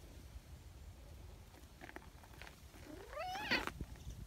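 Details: Nyahha, an affectionate free-roaming community brown tabby cat, arrives from the mountain calling loudly: a single rising, drawn-out meow with bright harmonics near the end, after a few faint taps over a low rumbling background.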